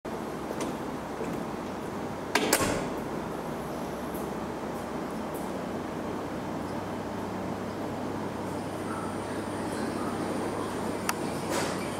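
Steady mechanical hum and background noise with a single sharp knock, and no animal calls.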